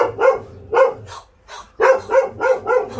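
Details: Stray dog at the Ulsan Narae-ul Center in South Korea, filmed during volunteer transport. It barks sharply in short bursts: two barks, a pause, then four quick barks in a row.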